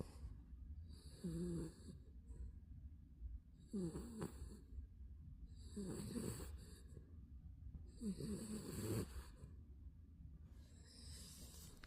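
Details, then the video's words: A Spitz snoring through a nap, four regular rasping snores with wheezy squeaks about every two and a half seconds, each trailed by a breathy hiss, low hum throughout. "역시 낮잠은 코골이지!"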